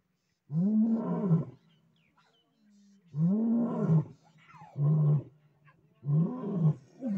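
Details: A lion family roars together in deep, moaning bursts about a second each, with higher cub voices mixed in; a lioness chases a lion away from the cubs.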